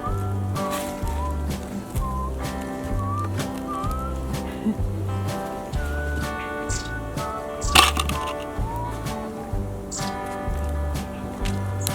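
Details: Background music with a steady repeated beat, melodic tones and a sharp knock, with no animal call.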